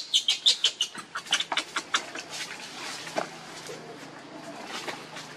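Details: Baby monkey Lucie begging its mother for milk and being refused, giving a rapid series of high, sharp squeaky cries that start loud and fade to softer, sparser squeaks, with faint background rumble.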